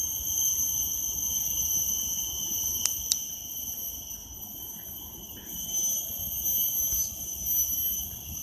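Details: Cicadas in a park in Singapore drone in a loud, unbroken, shrill whine, with two sharp clicks partway through.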